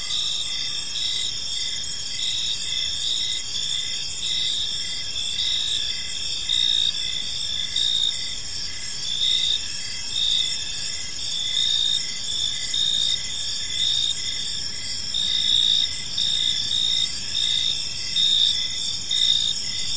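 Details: Evening park chorus of crickets, a constant shimmer of high, pulsed chirps from many overlapping insects, layered trills holding steady throughout with faint low rumble beneath.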